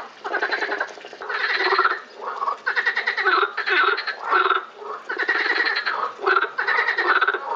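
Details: Lausanne botanical garden frogs in April 2018 giving rasping, rapidly pulsed croaks in overlapping bursts of roughly a second, a nearly continuous chorus with slight dips.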